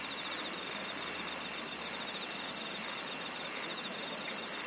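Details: Insect song in a nature setting: a continuous rapid pulsing trill at mid-high pitch with a fainter very high buzzing layer, set against a thick, uniform wash of chirring background sound and one brief click.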